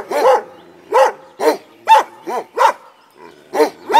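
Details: Komondor guarding a boathouse beside the cave bath in Miskolctapolca, Hungary, giving single resonant barks at uneven intervals of roughly half a second to a second.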